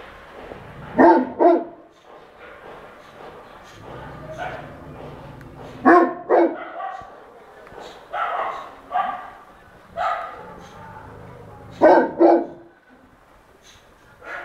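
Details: Dog barking in confusion and anger at noises people made to puzzle it; sharp barks come mostly in pairs, near 1, 6, 8 and 12 seconds, with human voices in between.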